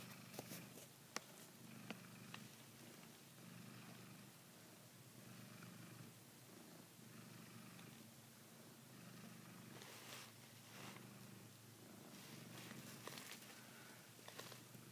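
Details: Savannah cat biting and holding a blanket as though it were a female cat's neck, purring continuously in a low, even rumble throughout, while fabric rustles and occasional sharp taps sound indoors.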